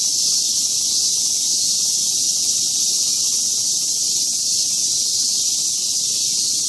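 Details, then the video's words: At Atagoyama, cicadas fill the air with a continuous, hissing drone pitched high and shrill. It stays level and unbroken from start to finish, and no other animals or voices stand out. "愛宕山 蝉の鳴き声"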